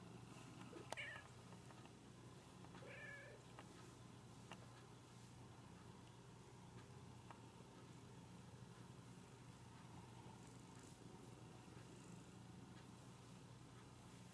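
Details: Domestic cat seeking to be petted, giving two short meows in the first three seconds, the second a tight little double cry, followed by a long quiet stretch with a steady low hum in the background.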